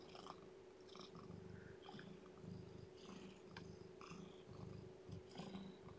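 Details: Purring from a domestic cat while a lethargic, underweight kitten is fed and warmed indoors. Deep throbbing purr comes in regular rhythmic pulses about twice a second, with faint clicks and a constant background hum.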